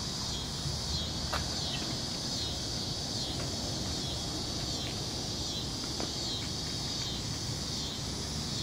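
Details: A dense, unbroken high-pitched chorus of crickets fills the whole stretch, a constant shrill buzz set against a low background roar and a few faint clicks.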